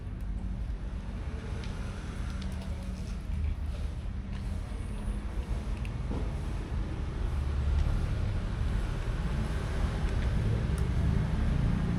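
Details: Steady low rumble of road traffic and engines fills the street, with no animal calls.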